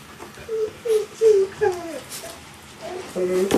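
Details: 46-day-old golden retriever puppies indoors, giving a run of short, high, tonal whines, each sliding slightly downward, about six cries in under four seconds, followed by a brief pause and a final rising whimper.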